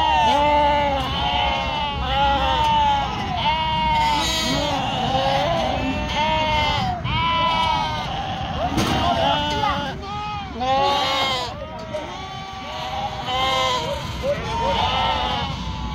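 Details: Flock of sheep raised in northern Spain, yearlings being separated from their mothers, bleating almost without pause: many loud, quavering, harmonic cries overlap in a dense chorus, with occasional sharp knocks in the barn.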